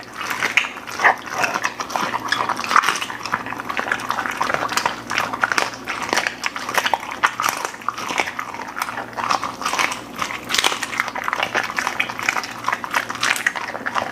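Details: Golden Retriever feeding indoors on beef lung, chicken breast, sliced steak, duck heads, flying fish and freeze-dried food, producing dense rapid crunching and wet chewing throughout, with a faint background hum.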